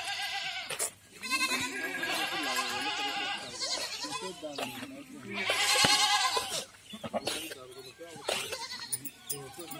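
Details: Goats at a farm in Rajasthan, India, bleating in a crowded chorus: long, tremulous, vibrato-laden cries overlap almost continuously, while people talk in the background.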